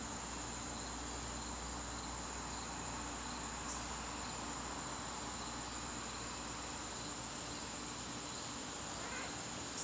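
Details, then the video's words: September evening in the garden: crickets sustain a high, constant shrilling with a quieter lower tone beneath it, against a faint low rumble. "garden crickets"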